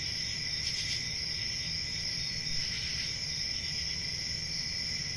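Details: Crickets on a peaceful country summer night, in forest ambience: a steady chorus trilling continuously in several high-pitched bands, with a low background rumble.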